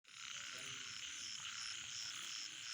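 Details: Frogs calling at night: a dense, steady high chorus with faint pulsed notes repeating throughout, and no voices.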